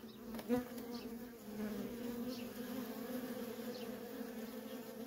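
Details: Dense humming of worker honey bees trafficking at a feral colony; a loud close bee zips past in the first second, then the steady colony drone continues with faint fly-by whines.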